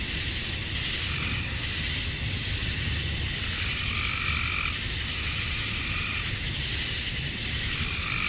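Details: Summer dusk in Georgia, USA, with male cicadas calling to attract females: a constant shrill, buzzing wall of sound, plus a few brief lower tonal calls around the middle and end.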